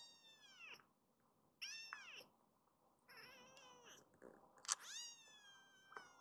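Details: Foster kittens rescued by a shelter group, including Hana-chan, cry indoors. Five or six piercing meows sweep up then down, one sharp and loud, with short gaps between calls.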